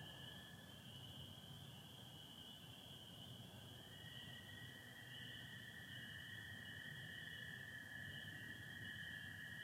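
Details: Spring peepers and American toads calling together on an April 24, 2025 night in Michigan, stars and some cloud overhead; constant shrill peeping band, with the lower toad trill swelling louder from midway on.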